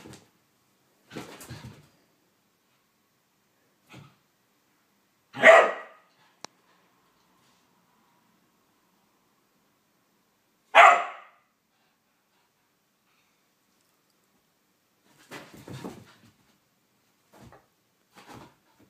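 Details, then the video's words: A whippet going crazy during a mad five minutes: two loud, sharp single barks about five seconds apart, with quieter scuffling and soft noises in between and toward the end. "Blu the whippet going crazy"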